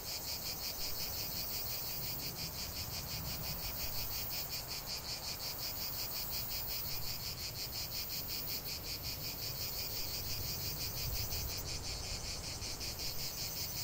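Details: Cicada song outdoors: a harsh, high, rapidly pulsed drone forming a continuous wall of sound, over a noticeable low rumbling background.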